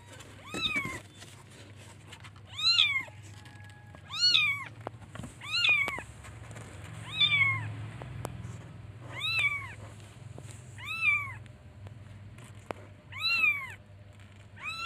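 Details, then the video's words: Baby kittens meowing as they look for their mother: about nine short, arched mews spaced roughly every one to two seconds, fairly even in loudness, over a low droning hum. "Cute baby kittens looks for and calls its mother by meowing"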